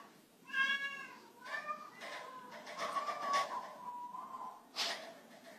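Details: A cat struggling to jump from a slippery waxed floor meows repeatedly: two short harmonic meows, then a long, drawn-out, slightly wavering meow lasting over two seconds, followed by a brief sharp sound in a quiet indoor setting.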